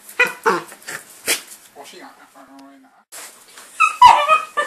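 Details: Two pet dogs, a miniature Jack Russell Terrier and a Jack Russell–Chihuahua cross, both four years old, opening presents indoors on Christmas morning, 25 December 2012; short excited yips and a drawn-out high whine, mixed with people talking and rustling wrapping.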